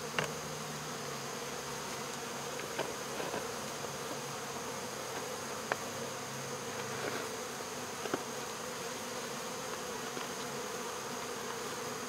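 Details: Honey bee swarm being removed from local baseball fields: a steady, dense buzzing hum of many bees, with a low droning band and faint clicks throughout.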